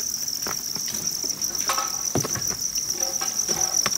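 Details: Field crickets at a cricket farm in Nam Dinh and Hanoi, Vietnam, which buys crickets from farmers in the provinces; a steady high shrill trill runs throughout, with scattered clicks and rustling below.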